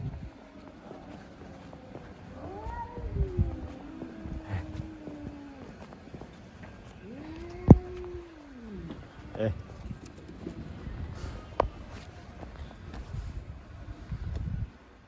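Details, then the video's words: Stray cats fighting in the street, giving long wavering yowls that rise and fall, several overlapping drawn-out moans between 3 and 9 seconds, with a sharp knock and low background rumble. "Cats Fighting by making strange noises."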